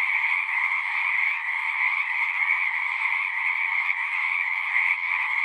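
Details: Steady frog chorus from a pond in a horse pasture, Zoom recording; countless overlapping croaking trills merge into a continuous pulsing drone with slight swells in volume, nothing else audible.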